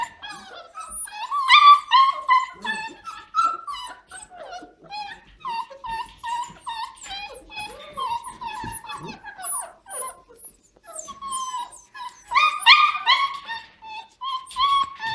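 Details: Litter of Standard Poodle puppies, six to seven weeks old, in November: busy chorus of thin, high whimpers and short squeaky yelps coming in quick uneven runs, with louder clusters near the start and end.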